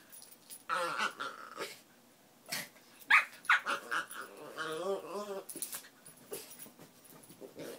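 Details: Miniature Pinschers playing together indoors: bursts of high yips and squeaky whines mixed with rough growly grumbles, in uneven flurries with short gaps.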